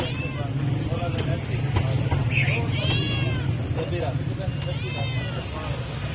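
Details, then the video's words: Stray cat, hungry and begging for food, lets out a few curved, harmonic-rich meows, one longer and drawn out, against constant low traffic hum and a murmur of voices. "Stray Cat Meowing For Food"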